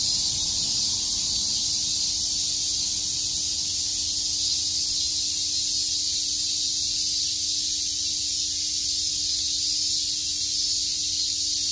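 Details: Summer cicada chorus at Shakujii Park in Tokyo, a constant shrill buzzing wall of sound that never breaks or changes over the whole stretch, a faint steady hum beneath it.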